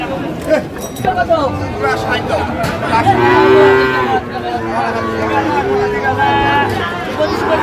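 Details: Sahiwal bull calves at a busy cattle market serving Comilla farmers, 25/4/25: one loud, sustained harmonic moo near the middle, with shorter lowing around it, beneath men talking and bargaining and passing vehicles.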